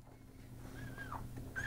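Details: Newborn Miniature Schnauzer puppy, just delivered, crying as a sign that it is breathing: a thin whining cry that rises and falls, then a brief higher squeak, with low background hum and soft human voices.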